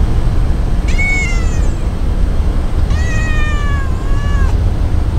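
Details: A white-and-tabby cat, a stray, gives two clear meows as if talking, a short high one then a longer, lower drawn-out one falling at the end, over a steady low rumble.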